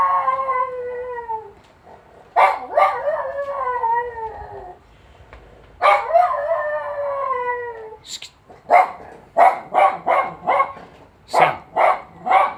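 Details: Jack Russell terrier named Sally answers an ambulance siren with long, falling, harmonic howls broken by yelps, then ends in a quick series of short, sharp yips and barks.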